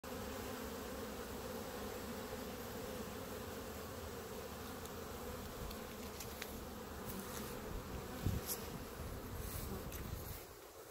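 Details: Honey bees clumped on the grass in front of the hives, a dense steady buzz with a low drone and a band of hum throughout, light handling noise near the end.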